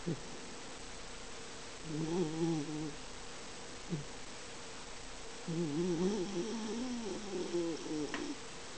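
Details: Miniature Dachshund snoring in deep sleep, its body twitching, the sound swelling louder as sleep deepens; low, wavering, whiny tonal snores in two long bouts separated by a quiet stretch, indoors.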